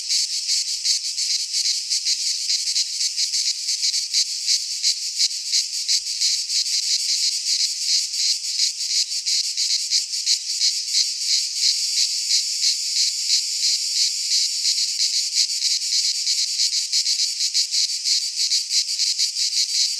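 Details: Many cicadas singing in a Greek pine forest at midsummer, a continuous high, grating buzz with rapid tremolo pulses, growing slightly denser in the second half, otherwise uninterrupted.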